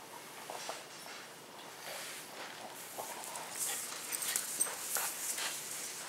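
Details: Pet dogs at home, a Husky-Shepherd mix, an orange fox-face Pomeranian and a Miniature Schnauzer, on the floor during play; soft whimpers and faint yips with scattered bright clicks and rustling, growing busier toward the end.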